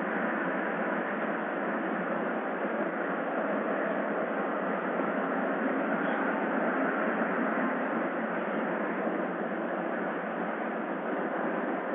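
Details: Steady, dense broadband rumble like a passing vehicle or train runs unbroken throughout, with no animal voice heard.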